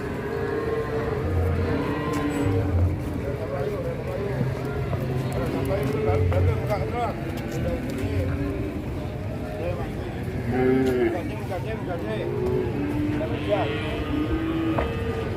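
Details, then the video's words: Large cattle being loaded onto a truck, several low drawn-out moos rising and falling through the clip, overlapping with music, talking voices and engine noise. "BORONG SAPI JUMBO NAIKIN KE TRUK"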